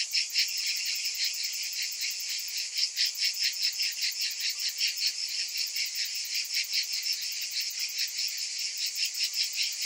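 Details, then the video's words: Summer cicadas in full chorus, a bright, high-pitched rasping drone pulsing at about two and a half beats per second, steady throughout. "Cicadas in Summer"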